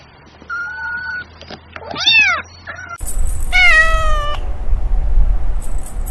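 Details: Cat with calls said to sound like laughing: a flat held meow, a quick cluster of bent meows, then a longer steady wailing meow over rumbling background noise.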